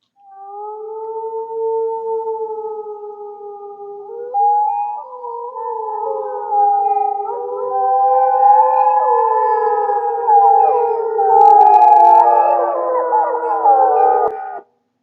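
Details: A classic wild gray wolf chorus howl: one steady, drawn-out howl, then many overlapping wavering voices join in, adults and pups calling back and forth between groups.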